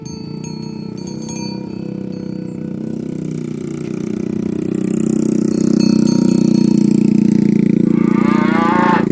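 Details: Cattle herded along to the rice field, one calling its companions to the pen: a long, deep, drawn-out moo swelling louder over several seconds, with jingling cowbells at the start and a brief higher cry near the end.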